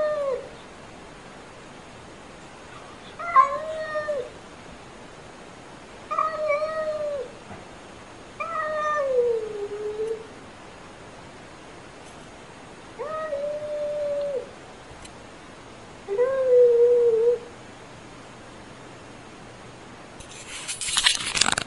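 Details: Unfriendly meowing from a domestic cat: six drawn-out, wavering meows, each about a second long, spaced roughly every three seconds over a quiet background, ending in a short burst of broadband noise.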